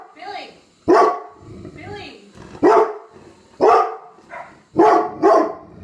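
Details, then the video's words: Dog barking at a suitcase: loud, harsh single and double barks about once a second, with softer whining and grumbling sounds between them. "Barking at a suit case"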